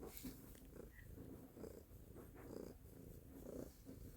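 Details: Low, throaty purring from Stella the cat, a continuous rumble rising and falling quickly with each breath, steady and close, in a quiet indoor setting.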